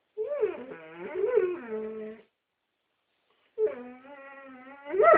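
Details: Asked to sing, a Dobermann sings in long, wavering howls that slide up and down in pitch, with a short pause between.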